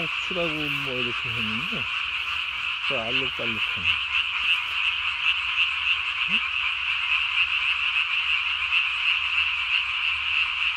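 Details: Japanese tree frogs calling at night on 3 May 2020, the vocal sac under the chin inflated as large as the body; a dense, rapid rattling chorus runs throughout, with lower wavering tonal sweeps early on.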